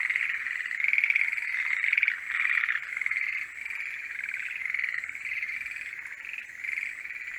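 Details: Forest green tree frogs singing in the mating season: a dense chorus of rapid, overlapping croaking notes forms a continuous chattering mass. Some calls swell louder in the first seconds, and thin steady high-pitched tones drift above.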